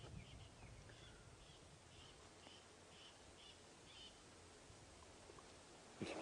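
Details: On a morning safari drive on 08/03/16, with lionesses nearby, a squirrel gives a run of short, sharp chirps, about twice a second, over low vehicle engine rumble.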